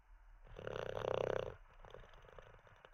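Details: Teddy, a dozing Olde English Bulldogge, lets out a single loud, fluttering snore with a rapid rattling pulse. It lasts about a second and is followed by gentle breathing.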